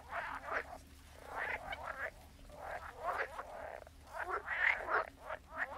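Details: Many frogs croak together in a continuous, overlapping chorus of raspy pulsed notes, rising and falling in loudness without a steady rhythm, over a faint low hum.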